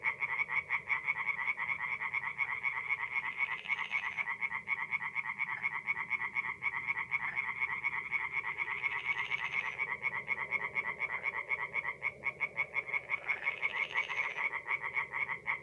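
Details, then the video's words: Night chorus of tree frogs at a forest pond in north-east Italy in mid-April: steady rapid rattling croaks from several frogs, with three brief brighter, higher bursts standing out roughly every five seconds. "relaxing forest pond by night with singing tree frogs"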